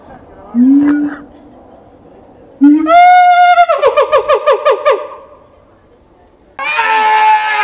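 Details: Keiji, a siamang at Higashiyama Zoo in Japan, calling vigorously on 17 January 2023; a short low hoot, then a long rising note breaking into a quick run of about eight pulsed, bouncing whoops, ending with a harsh harmonic burst.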